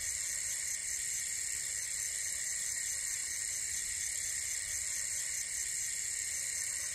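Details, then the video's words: Crickets at night during solo overnight camping at Panorama Alam Hill, Salak Mountain, Bogor, West Java, Indonesia: a dense, unbroken high-pitched ringing chorus, several shrill layers stacked at different pitches, steady throughout without pauses. "SOLO OVERNIGHT CAMPING IN THE WILD WITH SOUNDS OF FROGS CRICKETS AND STRONG WINDS"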